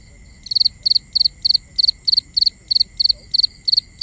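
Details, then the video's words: Crickets calling at night, recorded binaurally: clear, high chirps, each a quick burst of three or four pulses, repeated about every third of a second, eleven in a row, over faint steady high-pitched trills from other insects. "Cricket Conversations | Binaural Nighttime Ambience"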